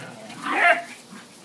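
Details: One of three dogs, a Whippet, an Italian Greyhound and a Min-Pin, playing keep-away with a toy: a single short, high, strained yip or whine lasting under half a second, with soft room noise around it.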